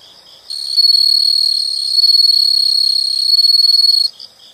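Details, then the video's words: Insects in a nature soundscape: one close, shrill, sustained trill lasting about three and a half seconds, finely pulsed and steady, ending abruptly into softer chirping. "the sound of insects"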